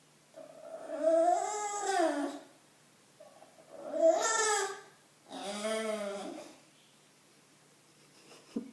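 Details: Bulldog vocalizing indoors to get attention, giving three drawn-out, moaning, rising-then-falling harmonic calls, each one to two seconds long, with a short quiet grumble between the first two; quiet room otherwise.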